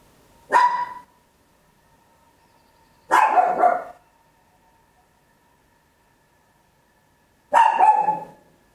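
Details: Home recording of a small Papillon dog: three loud barks, the first short and clipped, the others rougher and longer, separated by pauses of two to four seconds.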